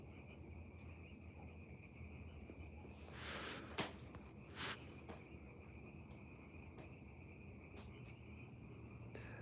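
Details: Crickets and frogs call together at night, a continuous high-pitched cricket chorus blended with frog calls.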